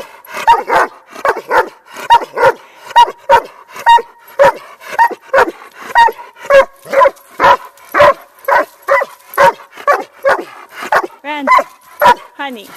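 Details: A hundred-pound Doberman barks right into other dogs' ears while they ignore him. Sharp, fairly high, ringing barks repeat roughly twice a second, with a few whiny yelps near the end.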